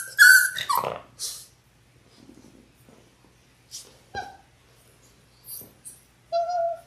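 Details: Litter of six 6-week-old Labrador Retriever puppies born January 18, 2022, on an indoor puppy cam on Feb 28; high, thin whines open and close the stretch, short rising-falling tones, with soft scuffling and clicks between them.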